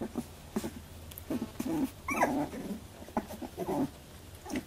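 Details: Labradoodle puppies at 18 days in a first milk fight: short squeaks and little growls in quick scattered bursts, one sharp rising yelp near the middle, indoors.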